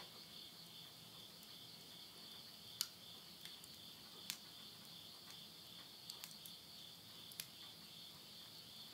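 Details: Late-summer insect chorus at midnight beside a house in rural Tottori, Japan, September 2020: a continuous high-pitched ringing trill holding steady throughout, broken by scattered sharp crackles from wood flames in a stove.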